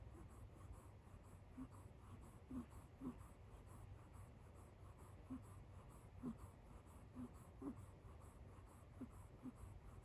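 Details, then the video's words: Sleeping kitten Kit Teas Chai on a couch, snoring in a donkey-like 'eeyore' way: faint squeaky wheezes at uneven intervals, roughly ten over ten seconds, some louder than others, against a low indoor hum. "Kit Teas Chai kitten snoring like a lil donkey on couch"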